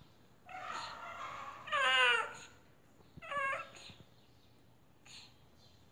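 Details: Strange, strained meows from a domestic cat said to appear sick: a drawn-out wavering cry, a louder rising-falling call near two seconds, then a shorter meow around three and a half seconds in a small indoor room.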